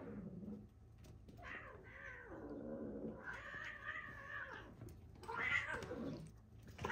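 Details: Frisky domestic cats playing rough indoors give drawn-out, wavering yowls, three harmonic caterwauls rising and falling over seven seconds, with a person's soft voice and hushing nearby.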